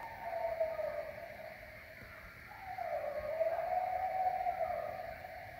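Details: A pack of coyotes howls loudly at night in woods behind a house in Maine: long, wavering, mid-pitched howls dipping and rising over soft background hiss.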